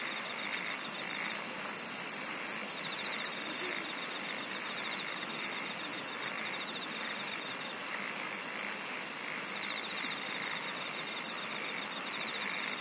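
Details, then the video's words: Insect chorus of shrill, very high buzzy bursts that repeat about every 1.2 seconds over a constant pulsing trill and a wide, steady background hiss. "SINGING OF INSECTS"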